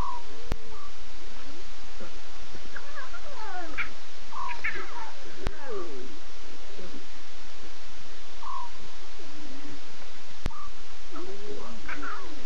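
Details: Six lion cubs with three adult Nkuhuma females at 02:50 a.m. on 8 September, cubs talking while adults contact call; scattered short mewing, bending calls over a steady hiss of night noise.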